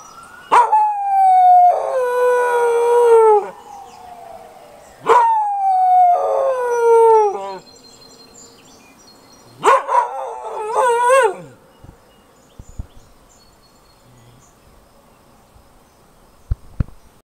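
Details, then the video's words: Keeshond howling in response to sirens, giving three drawn-out descending howls roughly every four to five seconds, each with wavering harmonics, the last one shorter and cracking; afterwards mostly quiet with faint background tones and a few clicks. "Keeshond Howling at Sirens"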